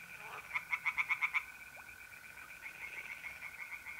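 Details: Short burst of about seven loud pulsed croaks from a tree frog by a pond on an April night in north-east Italy, then fainter distant croaking over the continuous trill of mole crickets.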